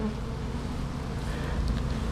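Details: Bees in a backyard hive opened for inspection, colony fed on sugar water: a dense, low, droning buzz fills the air without pause, steady and loud.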